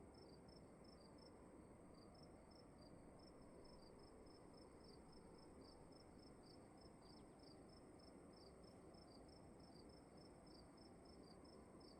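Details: In a still room, crickets keep up a brisk run of tiny high chirps, two voices at close pitches interleaving, over a continuous soft hiss with a low droning undertone.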